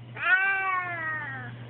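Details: A male house cat kept indoors by a window cries because he is upset at being inside. One long, drawn-out, tonal meow slides slightly downward for over a second, with a steady low electrical hum beneath it.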